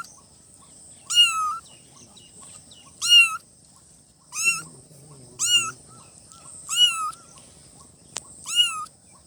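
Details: Newborn kittens calling in short, high, bent meows, six or seven cries spaced one to two seconds apart, with a low rustle near the middle and a click near the end over a faint hiss.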